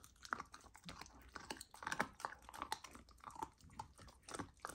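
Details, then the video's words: Golden retriever puppy fed a raw diet chomping raw lamb, first time trying it, in a small room; rapid wet bites and smacking chews, crunchy and continuous, with some faint squeaky mouth sounds. "Puppy tries raw lamb for first time! ASMR Eating Sounds"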